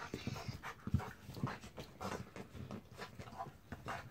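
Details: A mutt named Jack pants rapidly over a baby zebra, breathy puffs coming roughly twice a second in an even rhythm, close and clear in a small indoor space.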